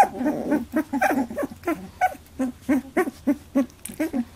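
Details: Eighteen-day-old Labradoodle puppies squabbling over milk for the first time, giving quick bursts of short grunting squeaks about four per second, fairly steady, with a faint higher squeal near the end.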